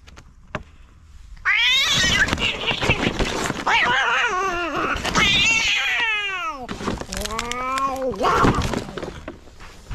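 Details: Cats in a fight over territory trade long, bending yowls that swoop up and down, overlapping almost continuously for eight seconds with harsh, noisy scuffle sounds between the wails.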